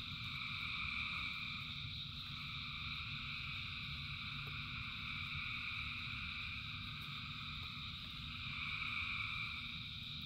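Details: Frogs in rain: a thick, continuous chorus of rapid high pulses in stacked layers, swelling louder near the start and end, over a dull constant rumble of rainfall.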